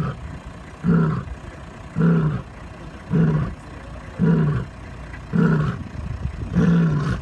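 A lion gives a series of deep, throaty grunting roars, about one every second.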